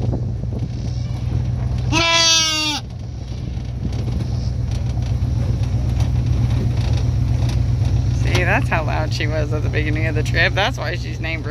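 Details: Roseanne the fainting goat calls out on the trip home to her new house after hearing other goats: one strong, shaky bleat early on, then broken bleating mixed with people's voices over a steady engine hum.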